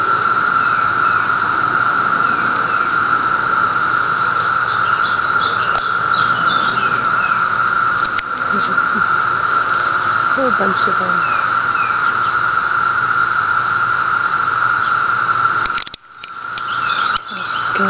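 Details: Periodical cicadas, the 17-year brood emerging on Cape Cod, fill the air with a continuous, even, high droning chorus that barely wavers, briefly dropping out near the end before resuming.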